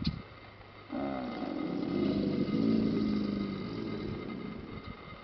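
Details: American alligators bellowing at Paynes Prairie Preserve State Park on the La Chua trail, Gainesville, Florida. One deep, rough, rumbling bellow lasts about four seconds, swelling then fading, over a steady low hum.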